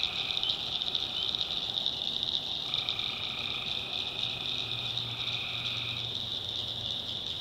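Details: Nighttime tree frogs in North Carolina swamp backwoods: a continuous piercing trill fills the air while a lower droning call holds for a few seconds and a faint low hum runs underneath.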